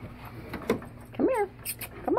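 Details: Tonka, an Alaskan Malamute, reacting to a Bigfoot recording, gives a brief rising-then-falling whine with a short yelp before it and another starting at the end, over light clatter and hum.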